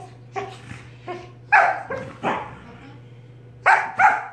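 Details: Sorbetto, a dog, harassing his big sister Biscotti during lazy play by barking in her face: several sharp, harmonic barks at irregular intervals, two pairs close together, with softer grumbly sounds between and a steady low hum underneath.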